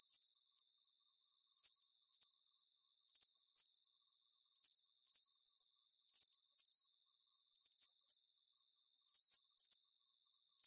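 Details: Crickets chirping in a calm night-time sleep soundscape: high, thin pulsed chirps arriving in close pairs, each pair repeating roughly every one and a half seconds in a steady rhythm, with no low sounds at all.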